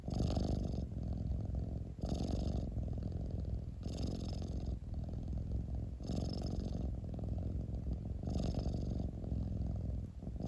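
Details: Long steady purr from a cat, a low rolling rumble punctuated by five soft, hissing breaths at regular intervals of about two seconds, with a faint click near the end.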